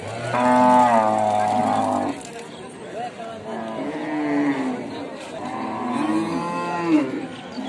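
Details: Repeated cow moos: a loud flat two-second bellow at the start, then two softer wavering moos, with overlapping calls from more than one animal and low background noise.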